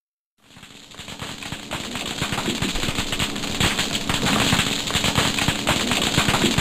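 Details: Thousands of snapping shrimp crackle underwater, their sharp claw snaps, used to communicate and to stun or kill prey, merging into a sizzling roar.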